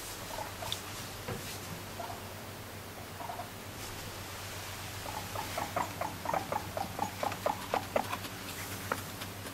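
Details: Pet guinea pig calling as it follows its owner; after quiet pattering, a run of short, squeaky mid-pitched notes comes quickly, about two per second, in the second half, over steady low room hum.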